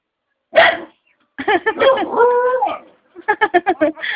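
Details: A pet Aspin dog makes talking-like sounds: a sharp yelp, then a string of warbling howl-like notes with a long wavering moan, ending in rapid short yips, while its owner coaxes it in Filipino.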